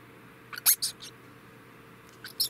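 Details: Male degu, about three years old, giving short, very high squeaky chirps in two brief clusters, a rapid run of three or four near the start and another pair near the end, with a quiet indoor background.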